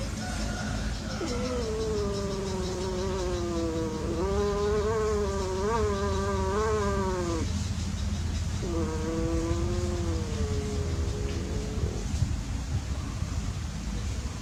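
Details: Two long, quavering cat yowls from playing cats in an unsuccessful love encounter, the first pulsing and wavering for several seconds, then a gap, then a smoother, falling moan, over a steady low drone.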